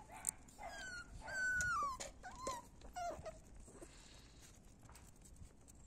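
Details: Male puppies of a kennel litter whine in drawn-out, high, falling whimpers, four or five calls in quick succession. Then the sound fades to a quiet room background.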